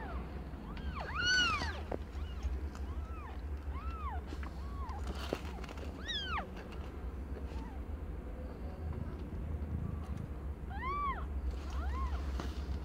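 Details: Aimee, a pet cat not yet one year old, in labour with five multicoloured kittens; scattered arched meows, the loudest near the start and end, quieter mews between, over a continuous low-frequency drone.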